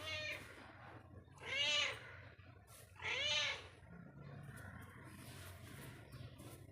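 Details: Indoors, a house cat wanders and lets out two loud meows about a second and a half apart, each rising then falling, over a steady low background hum.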